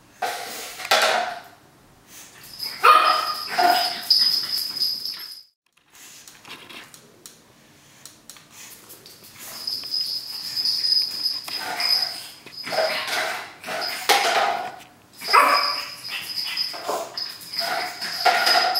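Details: Cookie, a three-month-old pug puppy, plays wildly with a paper towel roll indoors; short bursts of high yips and squeaky sounds come in clusters, separated by quiet gaps, with rustling of the roll.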